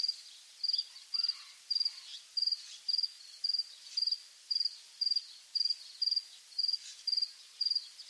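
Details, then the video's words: Countryside crickets at dusk: a steady run of high, pulsed chirps, each a tight burst of a few clicks, repeating about twice a second without pause. "Grillos, atardecer en el campo"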